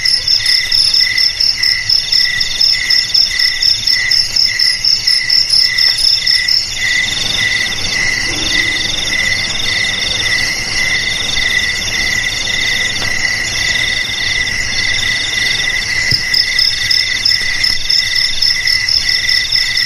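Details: Crickets, played as a traditional remedy to drive rats away from houses, garages, storerooms and rice fields, keep up steady high chirping in pulsed bursts, with several callers overlapping at different pitches throughout.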